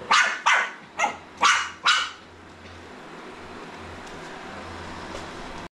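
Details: Jack Russell Terrier puppy meeting a robot vacuum cleaner: five sharp, high yappy barks in quick succession over about two seconds, then a steady mechanical hum from the machine running on.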